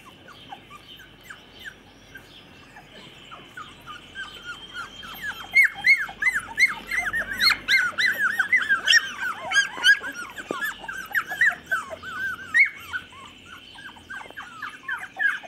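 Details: Chocolate Labrador puppies, 24 days old, recorded 8 November 2014: quiet at first, then a dense chorus of high squeaky whimpers from several pups builds and continues, over a steady high-pitched background hum.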